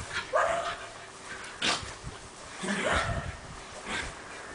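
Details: Basenji dog in Bologna, Italy, giving short, rising, tonal yelping cries, one near the start and another about three seconds in, with softer scuffling noises between them.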